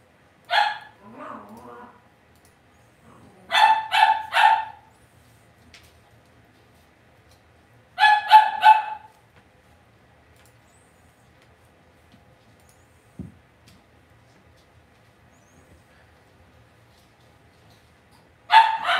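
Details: Indoor pen of Cavalier King Charles Spaniel puppies, where one yaps in quick bursts of two to four shrill barks, spaced several seconds apart, with near silence and a soft thump between bursts.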